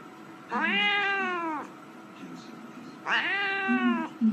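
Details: Domestic cat giving two drawn-out meows about two and a half seconds apart, each rich in harmonics, rising then gently falling, with quiet room noise between calls.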